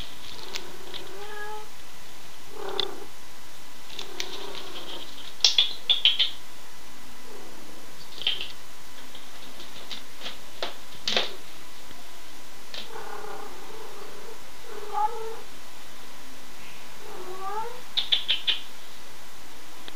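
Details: Playful female pet cat indoors giving scattered short meows and chirps between soft clicks and knocks of movement.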